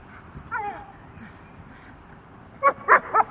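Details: Gorman, a 10-month-old male Staffordshire Bull Terrier, playing with his tyre: a short falling whine early on, then three sharp, harmonic barks in quick succession near the end over a low background rumble.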